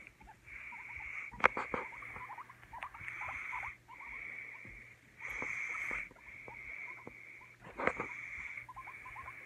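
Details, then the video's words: Pet guinea pig giving soft, quick upturned squeaks, interrupted several times by one-second bursts of steady hissing noise and a few sharp clicks. "CUTE GUIENA PIG ASMR"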